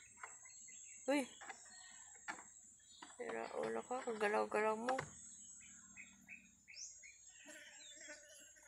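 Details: A pesky goat bleats once briefly, then delivers a longer quavering bleat of nearly two seconds with a shaky, trembling pitch; soft bird chirps and faint rural background noise surround it.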